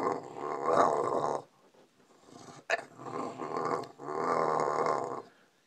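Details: Bulldog rousing its owner from sleep with three drawn-out, strained growling moans, each over a second long, and a brief sharp yelp between the first two.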